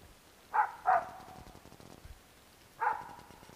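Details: Dog named Bek barks at a squirrel in woodland with pine and birch: two sharp barks close together, a longer gap, then a single bark, over a quiet background.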